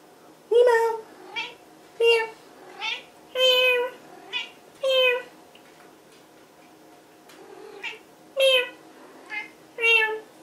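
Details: Domestic cat meowing indoors: about eight loud, tonal meows across ten seconds, some drawn out and wavering, others short and clipped, separated by quiet gaps; a man speaks softly in the background.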